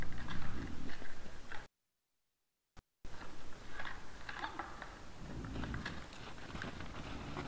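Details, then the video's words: Several wild boars in front of a trail camera on 17 December 2022 at 20:17: dense low grunting and crunching, chewing-like noises in rough bursts, broken by a brief silent dropout near the two-second mark. "Nice sounds of the Wild boars"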